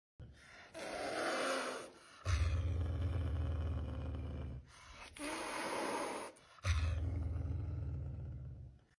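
A caracal gives breathy, rasping hisses that alternate with deep, rumbling growls.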